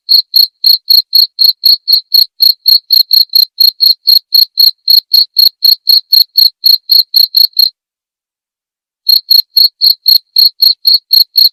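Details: Crisp cricket chirps, recorded as training material for murai batu songbirds to learn at night: an even high-pitched pulse about four times per second for over seven seconds, a brief gap, then more chirping.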